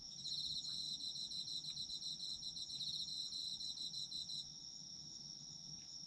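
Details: Chorus of autumn insects for sleep ASMR: a fast, buzzy pulsed trill over a constant piercing tone for about four seconds, then only the unbroken high tone remains.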